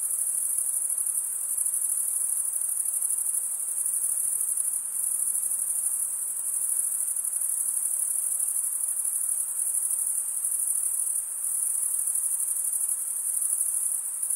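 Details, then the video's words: Stridulating crickets, chiefly males, keep up an unbroken, piercingly high trill with a faint rapid throb and slight swells in loudness over the whole stretch; nothing else audible. "Most relaxing cricket sound for 8 hours"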